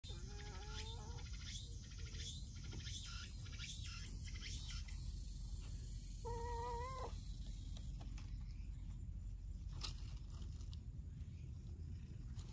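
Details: Stray cats, a clingy brown tabby repeatedly cutting in beside a mild-tempered orange-and-white cat; two short wavering meows, the second held near a second, over a steady low rumble and faint ticking.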